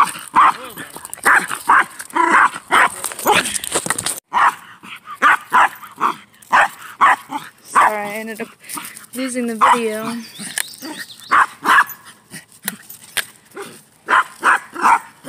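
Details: Mya, a pet dog who dislikes other energetic dogs, barks at another dog on a walk as she is picked up with cars approaching; short sharp barks repeat throughout, interleaved with a woman talking.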